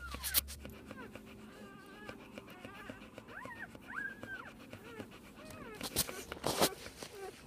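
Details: One-day-old Pit Bull puppies from a litter of ten, five males and five females, born 7/12/2014, give thin rising and falling whimpers and squeaks, several overlapping, broken by sharp handling noises and rustling.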